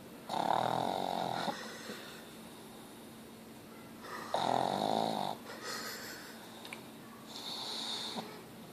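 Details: Snoring pug named Ozzy, described as snoring at level 10: loud rasping breaths roughly every four seconds, each about a second long with a whistly buzz, softer wheezy exhalations between.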